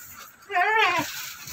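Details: Doroan goat on a farm, where a doe recently gave birth to a single male kid, gives one half-second harmonic bleat that rises and then falls, with a person talking just before and after.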